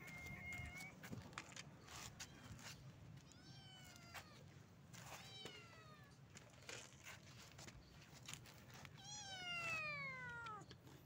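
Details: Stray street cat calling its friends for food: a short steady meow, then a series of falling, drawn-out meows, with the longest and loudest descending call near the end, over clicks and low street noise.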